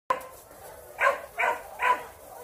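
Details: Puppies from a litter recorded in August 2021; three short, bright yelping cries rise and fall about half a second apart, following an opening squeak, with faint background noise.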